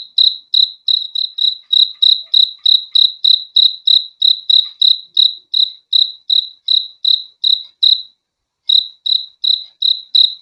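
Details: Crickets chirp in a soothing sleep recording, short ringing pulses repeated roughly three per second, one brief pause near the end before the steady chirping resumes; background otherwise silent.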